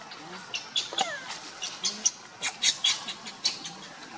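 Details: Monkeys, with the mother Luna running fast while carrying baby Luno as Rainbow tries to take Luno away: short, high squeals and chirps, one sliding downward near the first second, then clustered clicky bursts about seventy-five a minute over steady background hiss.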